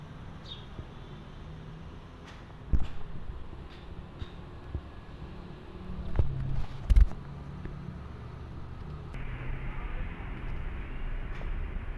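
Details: Low rumbling traffic hum with a few knocks and door-like thuds, no animal voice audible.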